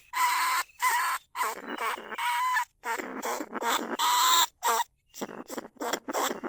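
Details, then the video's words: Recorded live at Na Lao, Nong Khu Phai, Thailand, a lesser bandicoot rat, the rice pest that burrows into paddy banks. Grating squeals in bursts of about half a second, some carrying a steady whistled tone, with gaps between them. "ต้นฉบับเสียงต่อหนูพุกใหม่ล่าสุด หนูอีตั้นชุดที่2 ร้องเรียกหนูในกรงเพล็กดักหนู"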